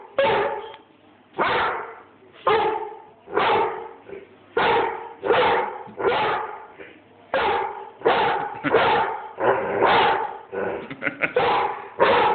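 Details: Airedale Terrier barking repeatedly at the person filming, phone recording: a long run of loud, rough barks about one per second, some closely doubled toward the end.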